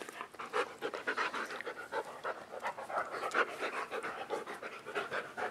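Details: Dogs playing indoors on a dog bed on a rainy day, flopping around while waiting for the rain to stop; quick, breathy panting pulses repeat steadily throughout, with faint rustling between breaths.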